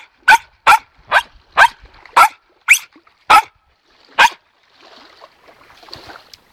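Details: Excited pet dog barking in anticipation of a toy during training: eight loud, sharp barks at an even pace, then the barking stops and only faint soft rustling and quiet noise follow.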